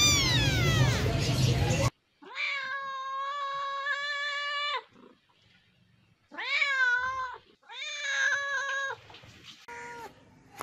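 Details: Kittens and cats meowing: after a noisy opening, a long steady meow with rich stacked harmonics lasting nearly three seconds, then a rising-falling meow and two shorter meows, separated by quiet gaps.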